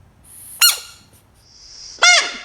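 A frog gives two loud, shrill screams, each a brief harsh squeal that drops sharply in pitch.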